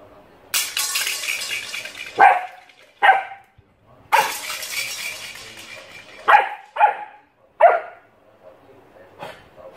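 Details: Alaskan Malamute puppy Oscar playing with a shoehorn indoors: about five short, sharp yelping barks with a ringing tone, separated by two longer broadband scraping or rustling bursts.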